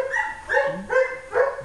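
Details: German Shepherd at the Péruwelz shelter, found on 30 July 2011, giving high whining, whimpering yelps in short rising-and-falling bursts, three or four in quick succession.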